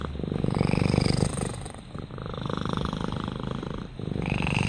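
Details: Rama the cat gives a deep, buzzing purr, pulsing roughly four times a second, loud at first, softening mid-clip, then swelling again at the end.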